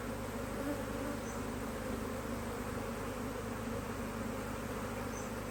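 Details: Honey bee colony in a HiveIQ hive, Australia, almost mid-Autumn 2023, as a box is added; even, unbroken buzzing hum filling the whole stretch, with faint higher whines of bees flying close.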